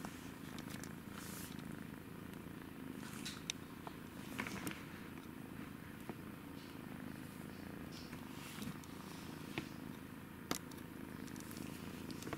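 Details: Pet kitten purring indoors during play, a steady low continuous rumble throughout, with scattered soft clicks and light handling noises on top.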